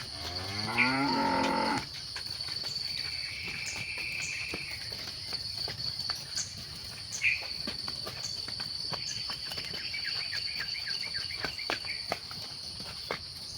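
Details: Cattle herded at sunset in the evening. The clip opens with a long moo of nearly two seconds, followed by continuous shrill insect hum and scattered twittering birds.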